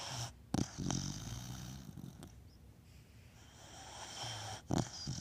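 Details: Snoring Beagle, rough low snorts around half a second and again near four to five seconds, separated by soft hissing breaths in a quiet room.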